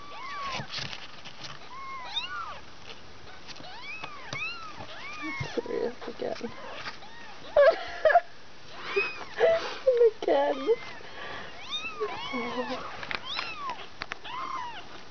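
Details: Nearly two-week-old kittens from a litter of five mew repeatedly with high arched cries while a person talks over them and louder low voices break in midway.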